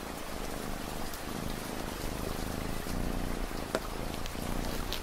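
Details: Domestic cat purring steadily, a low rumbling throb pulsing in quick, even cycles beneath a constant hiss of falling rain, with scattered sharper drops tapping through the mix.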